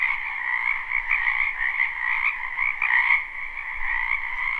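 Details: Many frogs croaking in a spring wetland behind a house, recorded live without looping: a dense, continuous chorus of overlapping trills in two steady bands, one high and one lower, with slight swells in loudness.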